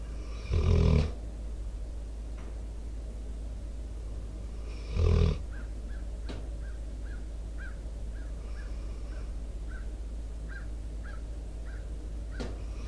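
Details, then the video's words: Two deep, loud snores about four seconds apart come from Debo, a four-year-old American Staffordshire Terrier/Pitbull asleep by the microphone. Between and after them, quiet outdoor sounds include a faint chirp repeated roughly every half second. "Pitbull snoring , breathing into microphone"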